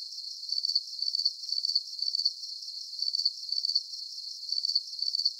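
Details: Crickets offered as a calming deep-sleep soundscape: high, thin pulsed chirps repeating roughly twice a second in a steady rhythm, with a faint continuous insect hiss behind them and no other sounds.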